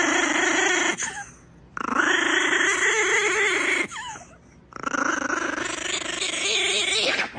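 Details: A 3-pound Brussels Griffon that dislikes being dried after getting wet gives long, rough, Chewbacca-like rumbling growls in three drawn-out bursts with brief pauses.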